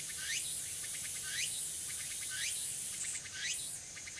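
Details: Tsukutsuku-boshi cicada calling on an early autumn afternoon, 6 September 2022, Furuta Magarikawa, Nishinoomote, Tanegashima island, Japan: four sharp upward-sweeping buzzy phrases about one second apart with pulsed notes between, against a steady shrill background hiss.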